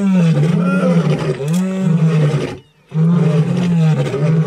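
A lion gives deep, drawn-out roaring calls, two long rumbling bursts split by a brief pause.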